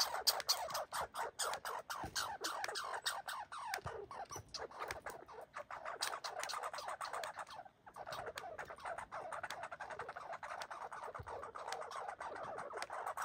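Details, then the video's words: Red squirrels boxing and fighting keep up a rapid, grating chatter of barks, several pulses per second, uneven in rhythm. A brief lull comes near the middle before the harsh stream resumes. "Red Squirrels fighting and boxing and barking"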